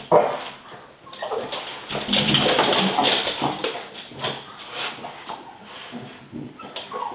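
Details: French Bulldogs at home greeting the fortnightly window cleaner with a rapid, dense run of overlapping barks, loudest in the first three seconds, then continuing in quicker, quieter yaps.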